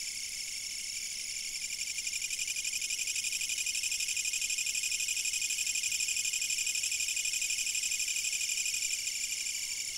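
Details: Insects chirping, recorded by a fixed camera: a dense, shrill trill fills the upper range without pause, pulsing steadily about four times per second at an even loudness throughout.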